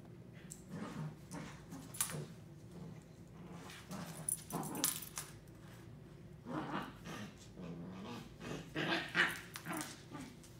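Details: Three-month-old Corgi puppy Mika play fighting with Fuji indoors: low rumbling growls come in bursts, with scuffling, pawing and thumping between them and a few sharper yelps near the end.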